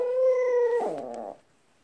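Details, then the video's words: Pet dog howling in a wolf-like way: one steady, clear, ringing tone held for under a second, then dropping into a lower, rougher, wavering tail that fades out abruptly; no other sounds. "늑대 울음소리"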